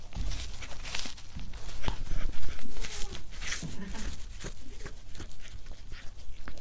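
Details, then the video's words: Cat mukbang ASMR: irregular crunching bites, roughly two to three per second, some sharp and loud, with faint short tonal scraps between them and a low background hum. "고양이 먹방 (CAT MUKBANG ASMR)"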